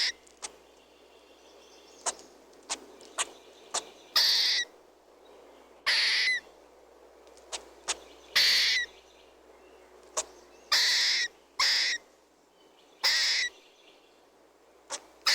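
A squirrel gives harsh, raspy chirps, with short sharp clicks between them at uneven intervals.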